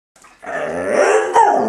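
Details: A pet dog "speaking like a human", giving one drawn-out growling, talking-like vocalization that rises in strength over about a second and a half and ends with a sharper, louder push; nothing else is heard.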